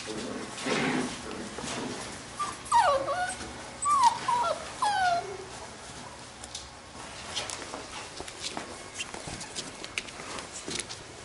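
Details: Playing Labrador retriever puppies from a B litter give a run of high, wavering whines and short yips bunched in the middle, with scuffling, rustling noise around them and quieter yelps trailing off toward the end.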